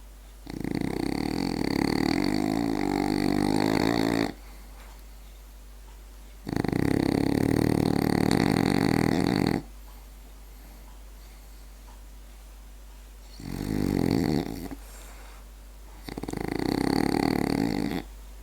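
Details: Asleep indoors, a French bulldog snores loudly in long rattling bursts of two to four seconds, four in all, with quieter pauses between them and a constant low hum beneath.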